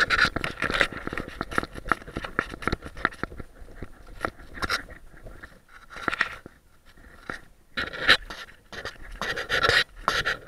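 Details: A Boston Terrier burying a bone, recorded on a dog-mounted action cam, pants and snuffles in quick, breathy bursts amid scratchy, scuffling noises.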